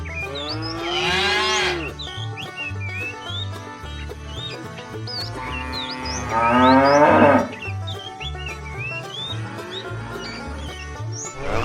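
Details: Cows of a tame herd trekking toward fresh pasture give two rough, wavering moos several seconds apart, while many small birds chirp and twitter throughout over a steady low hum.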